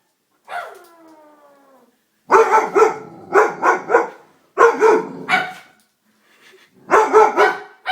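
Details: Doberman frightened by a prank: a thin descending whine opens, then loud, harsh barks come in tight bursts of three to five, with short silences between bursts.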